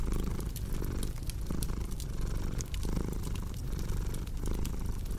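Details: Cat purr blended with fireplace ambience for relaxing: a soft, deep vibrating rumble pulsing with each breath about once a second, overlaid by scattered bright pops and crackling of burning wood.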